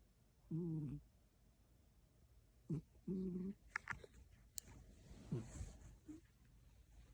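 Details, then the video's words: An elderly pet cat snoring in its sleep indoors: two short, nasal, harmonic grunting snores about two and a half seconds apart, then quieter rustles and faint soft voices, including a person calling to the cat. "코고는 고양이"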